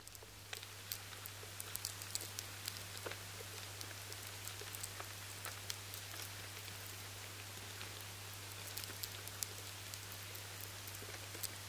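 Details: Lesser grain borers feeding inside a batch of stored barley, picked up by a high-sensitivity recording: dense, irregular ticking clicks like rain pattering on a tarmac road, with a steady low hum underneath throughout.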